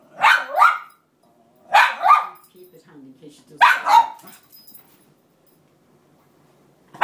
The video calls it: Cairn terrier crying continues to get her bed back